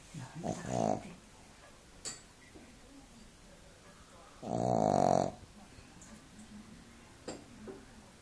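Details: Duke, a Shih Tzu dog, naps indoors and snores: two droning, rasping snores about a second long, about four seconds apart, with quiet room noise and a faint click between them.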